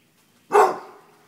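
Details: Single loud bark from a dog fleeing a deer mount, a short bright burst that trails off over half a second.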